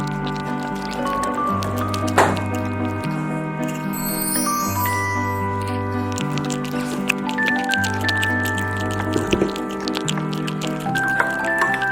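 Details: Playful instrumental music with a bouncing bass line, bright melody notes and occasional squishy sound effects, and no animal voice present.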